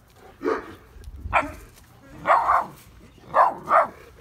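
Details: An 8-week-old Neapolitan Mastiff puppy barks in a backyard at night, guarding against its own mother, which it mistakes for a stranger. Five short, rough barks come in uneven bursts, the last two close together. Filmed on a phone.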